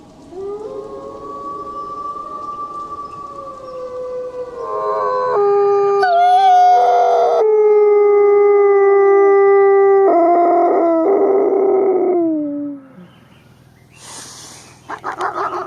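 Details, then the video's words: Wolf howling: long, steady, drawn-out tones, several voices overlapping in a chorus, some shifting abruptly in pitch, one sliding downward near the end, followed by quieter moments and a short harsh noisy burst. "33+ WOLF SOUNDS! What is the sound of wolf?"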